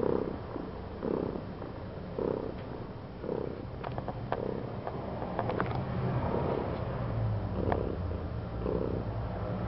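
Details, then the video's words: Domestic cat purring loudly: a low continuous rumbling purr with soft breathy pulses roughly once a second, alternating inhale and exhale, plus faint clicks and light background noise. "The cat Daisy is purring loudly"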